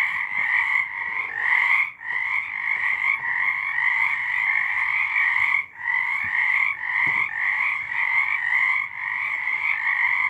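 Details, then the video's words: Frogs singing at night in March 2023, a dense chorus of overlapping trilled croaks with strong bands near two pitches, continuous with brief dips around two and six seconds. "Frogs singing"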